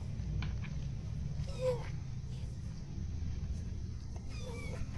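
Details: Naughty domestic cat being wiped dry rather than bathed indoors gives two short, faint meows, one early and one near the end, over a steady low rumble.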